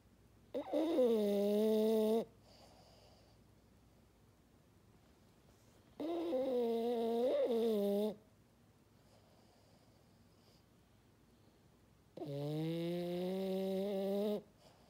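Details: Three evenly spaced snores from a sleeping French Bulldog, each a nasal, horn-like drone of about two seconds with wavering pitch, followed by near silence.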